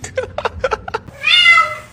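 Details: A series of quick clicks and taps is followed by a pet cat's single loud, slightly falling meow.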